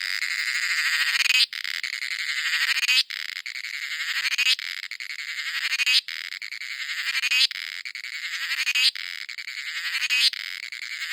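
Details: Cicadas in a coffee plantation in India give an intense, high, rasping buzz that swells through each phrase, cuts off abruptly and restarts about every one and a half seconds.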